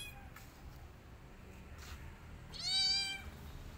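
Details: High, clear meow from a rescued kitten hiding in a person's jacket, one drawn-out cry near the end after faint rustling; a person softly says "chut, chut" afterwards.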